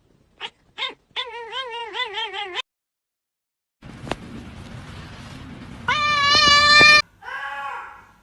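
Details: Domestic cat making strange noises: a few short chirps, then a long wavering, harmonic-rich yowl, a hissy noisy stretch, and a final high, strained meow with a sharp cutoff.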